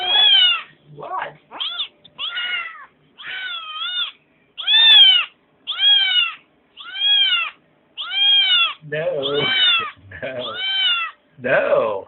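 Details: Kitten whining for something from the refrigerator: a long series of drawn-out, wavering meows, about a dozen, each rising then falling, spaced roughly a second apart, with a few rougher, harsher cries near the end.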